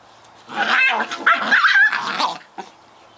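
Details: Bonnie and Basil, two Scottish Terrier puppies at play: a rapid, continuous run of high, tonal yips and squeaky barks lasting nearly two seconds, followed by one short yelp after a pause.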